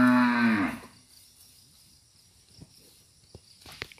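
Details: Selected breeding cattle, described as suited to roaming free in oil palm plantations, give a single loud, rich moo lasting under a second, followed by quiet with a few scattered clicks and knocks.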